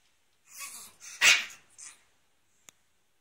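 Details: A pet Chihuahua, recorded from 23 November onward, gives one short, sharp, high bark mid-clip, framed by softer breathy snuffles before and after, then a brief click near the end.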